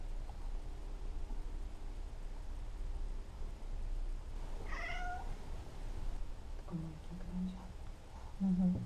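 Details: Indoor Maine Coon cats, a kitten pestering and play-fighting an adult cat that patiently joins in; one short, rising, bright meow in the middle, later low brief murmurs, over steady room rumble.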